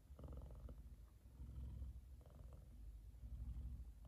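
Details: An F2 Savannah cat, male, purrs loudly while fast asleep and content, cuddled up with his brother lying on top of his head; a deep, low rumbling purr pulses steadily, swelling and easing with each breath.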